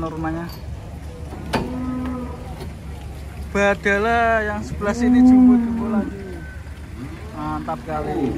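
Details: Giant cattle coming down from a truck ahead of Bodo (Eid): several deep, drawn-out moos with rich harmonics, one long steady bellow in the middle, over people talking and a low engine hum.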